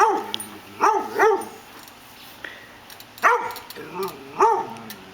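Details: Female dog barking at a lawn mower that is not yet running; five sharp harmonic barks in two pairs and a single, spaced over about five seconds, with a person speaking at the start.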